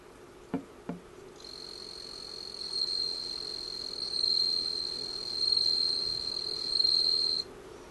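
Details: Bell cricket (Meloimorpha japonica) singing vigorously with its whole body, a pure, high, ringing trill that holds steady for several seconds.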